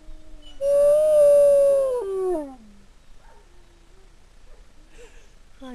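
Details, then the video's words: A female grey wolf at a wolf sanctuary gives a long, steady howl that holds its pitch, then slides down at the end. "WOLF Sanctuary -- Renata Howling"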